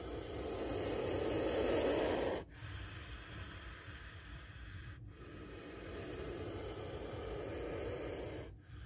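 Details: Spectacled cobra narrowly missing a bite: an intense breathy hiss fills the first two seconds and ends sharply, followed by weaker rasping exhalations broken by brief pauses.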